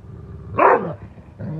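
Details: Rhodesian Ridgeback mother tucking her pups in for the evening gives a short, sharp rising-and-falling yelp-like vocalization, followed by a softer brief whine, over a low background hum.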